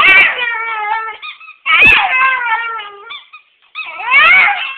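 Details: Pebbles, a Schipperke, plays a talk-back game on the owners' return home, giving drawn-out, wavering moans that rise and fall like a vocal grumble.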